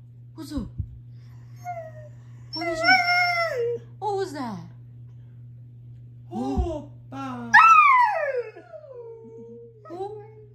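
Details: Four Siberian huskies give short, wavering howls that slide up and then fall away, over a steady low hum.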